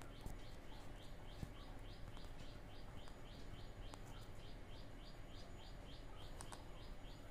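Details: Indian squirrel orphan left by its mother, raised by hand on dropper-fed boiled milk: a long, even train of short, sharp high chirps, several per second, over a constant low background rumble with occasional clicks.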